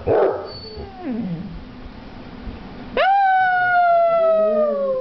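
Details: Two male Basset Hounds vocalise: a short yelp, then a long, steady, mournful howl that slowly sinks in pitch.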